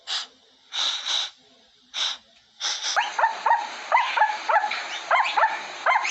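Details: Puppy sniffing at a camera: short breathy sniff bursts in quick succession, then a run of high, thin whimpers rising and falling about four times a second.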